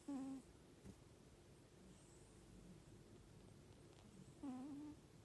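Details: Snoring cat: two short, faint nasal whistles, each a brief wavering squeak, one at the start and one near the end, with quiet room hiss between.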